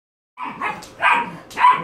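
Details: Great Pyrenees meeting an English Bulldog, the female barking to establish that she is the queen bee: three quick, loud, harsh barks in under two seconds, clean with no other sounds.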